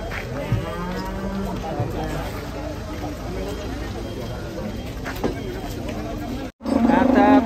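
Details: Cattle being unloaded from a truck, jumping down. Harmonic lowing calls in the first two seconds, with a steady low tone and background voices and engine noise throughout.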